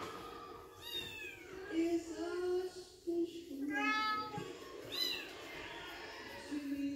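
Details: Young male Bengal kitten, aged 7.5 weeks, mewing several times with high, quavering, downward-sliding cries over low background voices and household noise.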